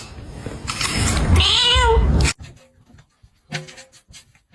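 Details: A domestic cat gives one drawn-out, harmonic meow that rises and then falls over about a second, after someone says a short phrase. The sound cuts off abruptly, and faint clicks and rustles follow.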